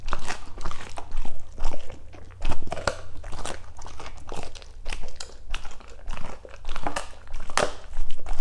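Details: German Shepherds eating green foods such as cucumber indoors, with crunchy bites and wet chewing in irregular bursts, quiet pauses between mouthfuls.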